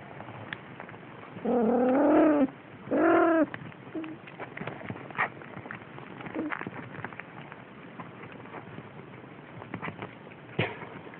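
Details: Siamese kittens almost six weeks old, wrestling and biting, 6 December 2011: two drawn-out harmonic meows, the first longer and wavering, the second shorter, followed by soft scuffling and tapping sounds.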